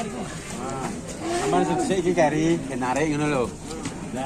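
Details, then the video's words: Raging cattle in a compilation of frightening cow footage: several loud, strained lowing calls with rich harmonic stacks, rising and falling, overlapping one another amid background noise and some human voices. "KUMPULAN SAPI NGAMUK PALING MENAKUTKAN"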